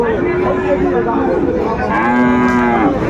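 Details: Sahiwal bull calves for sale at Aftabganj cattle market, Dinajpur, Bangladesh, 1 July 2025. After a second of crowd murmur, a steady, level moo sounds near the end, with steady market chatter underneath.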